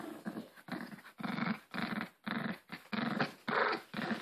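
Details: Male Maltese dog growling while playing with his new Angry Birds toy, refusing to let go of it; steady rhythm of rough, buzzy growl bursts, about two per second, with short breathy pauses between them.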